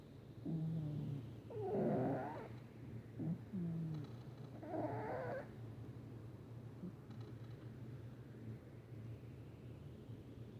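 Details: Patches, a male pet cat, snoring loudly while asleep; low rumbling, breathy snores come in rough bursts a few seconds apart, two strong ones early on, then fading to a quieter steady hum.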